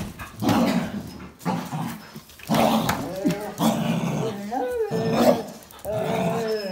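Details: Dogs, a Jack Russell Terrier and two Border Collies, one black and white, one red and white, playing tug over a towel; short harsh barks and rough growling bursts with whiny rising tones, a human voice mixed in.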